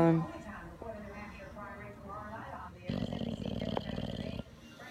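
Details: A male English Bulldog snores loudly with a rough, rumbling rasp, refusing to wake while his owner repeatedly tells him it's time to get up.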